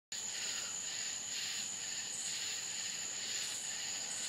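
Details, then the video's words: Crickets calling at night in the Florida countryside: a steady, piercing high trill runs throughout beneath softer buzzy waves that swell and fade every second or so, with no other sounds. "Country Crickets Sounds Night Time in Florida"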